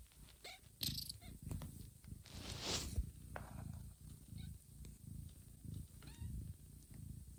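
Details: Mother cat Johanna grooming her kittens as they sleep and stir toward feeding; low pulsing purr throughout, overlaid by rustling fur, wet licking sounds and a few tiny high squeaks.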